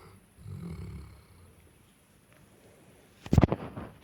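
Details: Sleeping Cane Corso pet dog from Ukraine snoring: a low, rumbling inhaled snore lasting about half a second, a quiet pause, then a louder, harsher snorting burst near the end.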